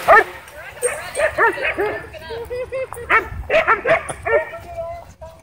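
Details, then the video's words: Dogs at a dog park whipped into a wild frenzy by a DJI Mavic 2 drone, barking and yipping in quick uneven bursts with a whimpering edge, with voices and outdoor background noise. "DJI Mavic 2 Drone Whips Dogs Into Wild Frenzy At Dog Park"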